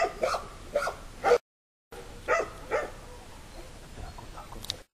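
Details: Five puppies that have just started walking steadily, out with their mother in the puppy yard; a few short, sharp yips come early and then two more, separated by quiet stretches.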